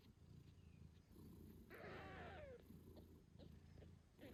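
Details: Nursing British Shorthair mother purring beside her 8-day-old kittens; a low rhythmic purr runs throughout, broken near the middle by a brief higher kitten squeak or meow that falls in pitch.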